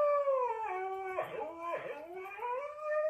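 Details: Siberian Husky howling indoors: a long, drawn-out tonal howl that starts high, dips lower in the middle with a rougher, breathier stretch, then rises again toward the end, with faint voices beneath.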